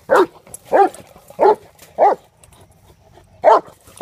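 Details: Four rough barks in quick succession from Mace the mastiff, playing with the trap, then a brief silence before a fifth bark.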